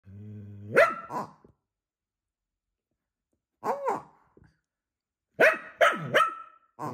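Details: Scottish Terrier indoors, squabbling with a pig toy: a low growl rising into a sharp bark, then short clusters of yappy, whining barks with pauses between them.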